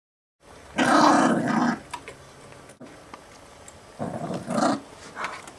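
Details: Chihuahua mix acting tough over a bone, a friendly dog that has never bitten anyone: a rough, throaty growl rising for about a second, then quieter rumbles and a second shorter growl burst, indoors.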